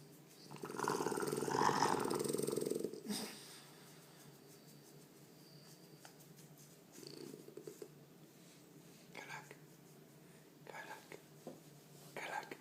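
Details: French Bulldog being petted indoors and letting out strange noises; a long rough snuffling rumble for about two seconds, then softer intermittent snorts and breathing.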